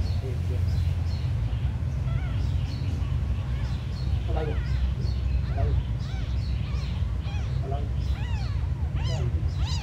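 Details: Faint, thin meowing from small abandoned kittens, repeated rapid rising-and-falling cries that grow denser toward the end, partly buried under a heavy low rumble.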